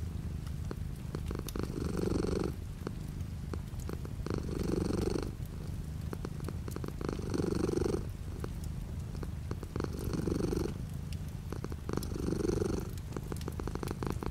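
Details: Cat purring with light rain beyond the window, low rumbling purr swelling into louder breathy bursts about every two and a half seconds, with soft rain patter throughout.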